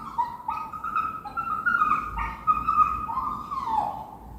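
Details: Whimpering dog with a steady string of thin, nasal whines that waver and bend, overlapping one another almost without pause and ending in a falling cry.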